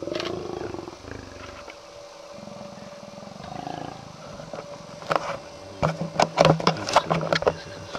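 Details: Lions mating in Kruger National Park; a low moaning growl rises and falls in the first half, then sharp snarling bursts come in quick succession near the end, with an engine humming and people talking nearby.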